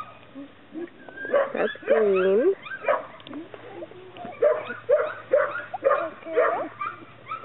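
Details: Chesapeake Bay Retriever puppies producing a busy run of squeaky whines and yips, one longer wavering whine early on, then rapid short yelps roughly twice a second, with clicking noises mixed in.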